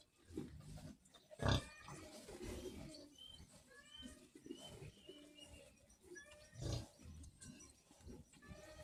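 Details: Piglets giving low, rough grunts through the recording, with two louder snorting bursts, while thin chirps from other small animals or birds flicker higher up in the background.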